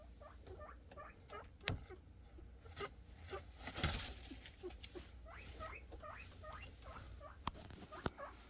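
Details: Guinea pig boars calling for food with happy noises: steady run of short upward-hooked squeaks, closely spaced, over rustling bedding and occasional sharp clicks and knocks.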